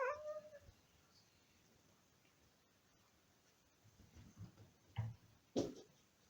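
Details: Domestic cat Simon calling to rouse his sleeping brother Max indoors; one clear meow at the start, then quiet, followed by low rough murmurs and two short harsh meows near the end.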